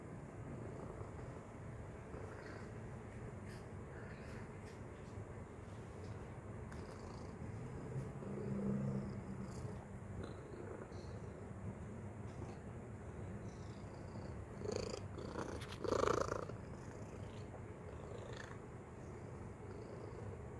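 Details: Continuous low purring from Tacy, a domestic cat busy with a treat toy. The even rumble is broken by a brief tonal squeak near the middle and a louder clatter of the toy later on.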